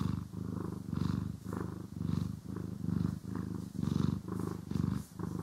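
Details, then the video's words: Pet cat purring during grooming and brushing, stereo recording: low rumbling purr rising and falling roughly once a second in regular breath cycles, faint brushing texture above it, no voices. "30 Min CAT ASMR | Purring, Grooming & Brushing"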